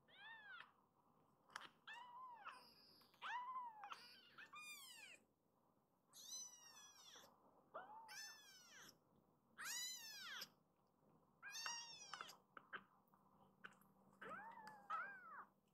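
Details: Rescued foster kittens, newly arrived, waking from a belly-up nap and crowding toward their mother; a string of high arched mews, about eight calls spaced roughly every two seconds, each rising then falling, over a quiet indoor hum.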